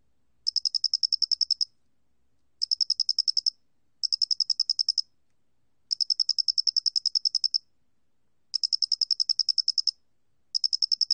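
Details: Doenitz's cricket recorded for the National Institute of Biological Resources, Korea, 2020: trains of rapid pulsed chirps, each lasting about one second and repeated after brief pauses, high and tinny, over a quiet background.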